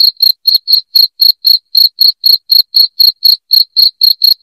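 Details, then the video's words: Cricket chirping loudly, used to drive rats out of a house: a continuous string of short, high, ringing pulses at roughly four a second, clean and uninterrupted. "SUARA JANGKRIK NYARING"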